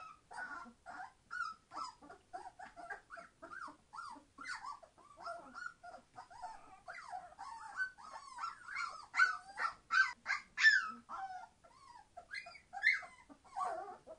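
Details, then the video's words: Noisy litter of 21-day-old Entlebucher Mountain Dog puppies, born 26 September 2015, keeping up a dense chorus of squeaky whimpers and yips, rapid and uneven, growing louder and more frantic toward the end. "Entlebucher Mountain Dog puppies 21 days old - being very noisy!"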